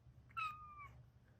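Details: A Bengal cat hiding under a rug in a closet gives a single clear, high meow that glides slightly downward over half a second.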